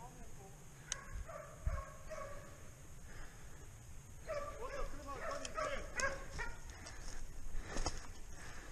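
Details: Hunting dogs on a wild boar hunt in the mountains, where a dog found the herd and drove a young boar uphill; distant yelping barks come in uneven bursts while people talk nearby.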